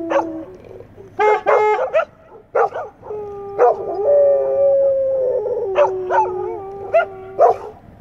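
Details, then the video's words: English Setters in a group chorus, mixing long rising and wavering howls with short yelps and barks that overlap, the howls holding steady tones between bursts of higher, sharper yips. "English Setters sing the Song of Their People"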